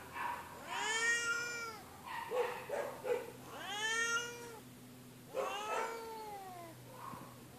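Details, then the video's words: Feral cat at an animal shelter, injured and in care, yowling in three long loud arching meows separated by brief breathy hisses; faint steady hum underneath. "The Incredible Meowing and Hissing Cat"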